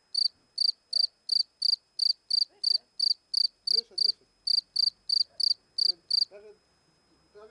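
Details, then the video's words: Cricket chirping near a small bowl, a steady run of short, high, pure chirps about three per second for six seconds, then a man speaking Polish and soft handling noises. "Świerszcz cyka 2 (dźwięk świerszcza) cz.2 \\ Cricket Sound part 2"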